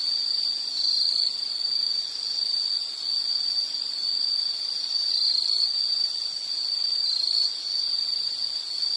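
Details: High ringing insect trill heard as a relaxing nature scene, continuous and steady with gentle surges every second or two, backed by a thin high-frequency chorus of further insects.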